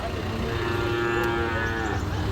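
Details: Buffalo at the Erragadda cattle market on 25 August 2024, giving a long, steady, low moo with rich harmonics that lasts the whole stretch, over constant market background noise.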